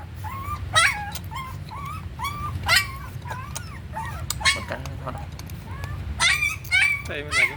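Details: High-pitched whines and squeaky yips from a puppy fed on milk powder, short sliding cries in irregular clusters, a few longer piercing squeals near the end, low rumble and soft voices behind.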